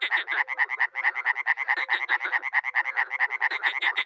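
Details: Dozens of frogs and toads croaking together at a small pond in Miroslovesti, north-east Romania, in spring: dense, rapid rasping pulses stacked over one another, with faint low drawn-out tones beneath and no other sounds.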